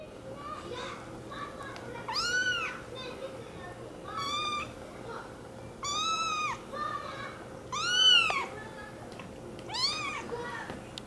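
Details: An American Curl kitten meows repeatedly: clear arching meows that rise then fall, coming roughly every two seconds, the loudest near the end, over faint indoor background noise.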